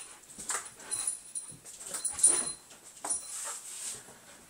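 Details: Border Collie on a couch snapping at bubbles in a training session: a steady run of breathy, hissy huffs and soft nasal whines, about one burst each second, close and indoors.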